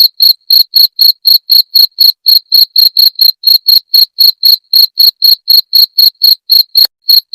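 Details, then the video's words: Cricket chirping, used as a rat-repelling sound: a fast, regular train of piercing high chirps, roughly four per second, clean and uninterrupted. "Suara Jangkrik pengusir tikus"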